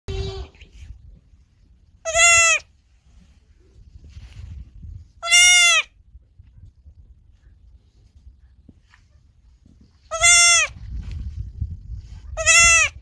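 A young goat bleats four times, short wavering cries with a bright, nasal quality.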